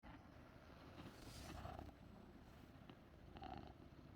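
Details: Persian cat purring to soothe and heal its owner; a low, steady rumbling drone that runs throughout, with faint rustling.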